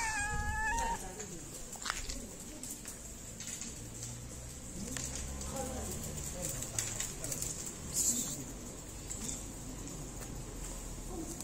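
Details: Fluffy stray cat in a Moroccan city, petted before and after being fed, gives one short, tonal, wavering meow at the start, followed by rustling and soft background noise.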